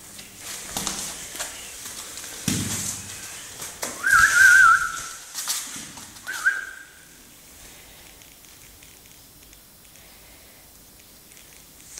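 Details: Handling noise and rustling, then a person whistles two short steady tones, followed by quiet background.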